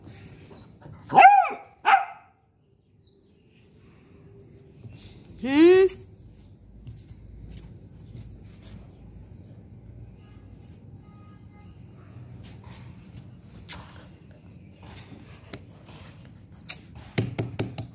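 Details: Diego, a beagle puppy at play, gives two quick sharp barks early on, then a longer upward-sweeping yelp, followed by quiet stretches with small clicks and a soft burst of noise at the end.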